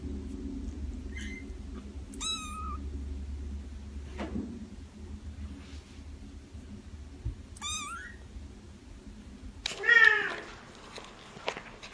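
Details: Soft kitten mews scattered across a quiet indoor setting, thin and falling in pitch, with a stronger, harsher cry near the end and faint rustling between calls.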